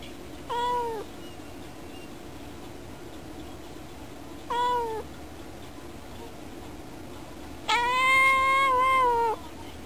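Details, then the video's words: Pet cat indoors meowing while watching birds outside a window; two brief downward-bending meows followed by a longer, louder drawn-out meow near the end, over constant low background hum. "猫のいろんな声 - Various meow scenes of my cat."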